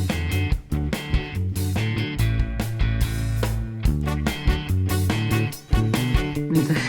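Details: Plucked guitar music with a steady beat and a bass line fills the whole stretch, with no animal voice.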